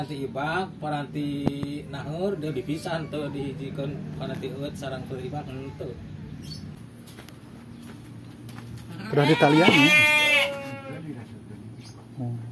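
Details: Garut sheep kept on a village farm near a house in Kampung Sedekan, Mekarlaksana, Sindangbarang, South Cianjur: one loud, wavering bleat of about a second near the end, after stretches of people talking in a quiet rural setting.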